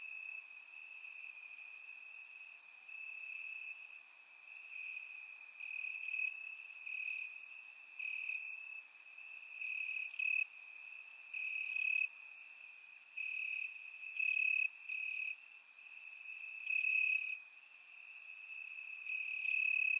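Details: Crickets singing in grass on a warm Bulgarian summer night, surround recording: sustained high trilling that rises into louder pulsed bursts every second or two, with many faint higher clicks layered over it.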